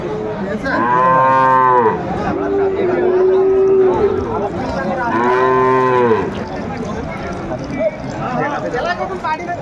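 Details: Sahiwal bulls at the Aftabganj cattle market in Dinajpur, Bangladesh, on 28 January 2025, with farmers from Dhaka buying. Two long harmonic moos, the first rising then falling, and a lower steady bellow between them over market chatter and background music.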